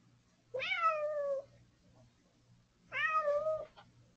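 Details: Cat calling for breakfast, apparently hungry: two loud, drawn-out meows about two and a half seconds apart, each rising at the start then level and slightly wavering, with a soft background hum in a small room.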